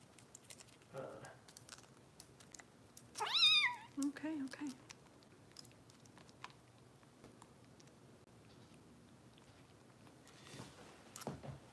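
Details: Bottle-fed foster kitten Harper, cared for by rescue volunteers in Los Angeles, gives one loud, rising-then-falling meow, followed by soft human talk and small clicks and taps in a quiet room.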